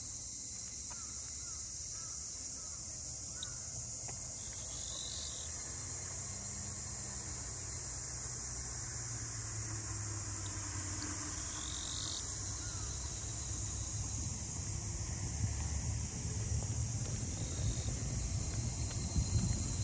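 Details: Cicadas calling in Ine no Funaya, the traditional port-house townscape north of Kyoto, Japan: a steady, unbroken high-pitched buzzing drone fills the scene throughout, over a low outdoor rumble.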